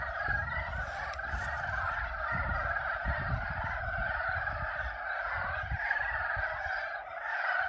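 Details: Spring pond at Yulgok Arboretum full of frogs giving mating calls, a thick unbroken chorus of overlapping croaks at even loudness, over low background rumble.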